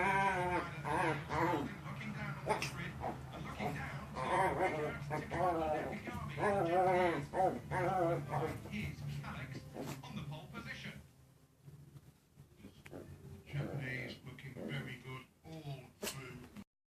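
A Chihuahua growls and grumbles in a low, rumbling, bear-like voice, with people talking nearby.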